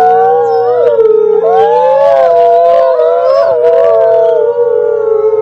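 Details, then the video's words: Pack of wolves howling at the same time, a dense blend of long drawn-out tones that waver up and down and cross one another without pause throughout. "Wolves howling together"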